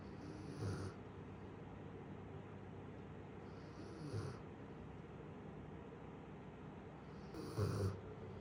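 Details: Lala, a female Great Pyrenees aged one year seven months, snores in her sleep. Three low, rumbling snores come roughly every three and a half seconds, with a steady quiet hiss between them.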